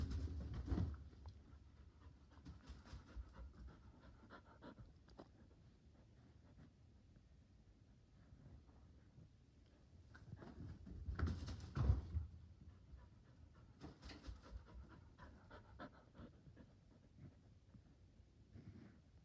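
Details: Border Collie on a couch indoors, eager to play ball, panting in quick soft rhythmic breaths, about 220 per minute, with louder rustling bursts near the start and around twelve seconds in a small quiet room.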